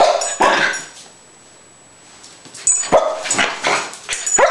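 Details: Rat terrier Spike shows off for the jump cam, giving a single bark, a pause, then a quick cluster of loud, harsh barks toward the end.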